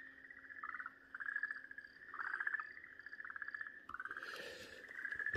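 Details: Okinawa green tree frog screaming in distress while a snake bites into it, recorded 4 March 2023 in Japan; repeated harsh, nasal bursts with strong harmonics, pulsed and rising in loudness, a brief noisy rustle near the end.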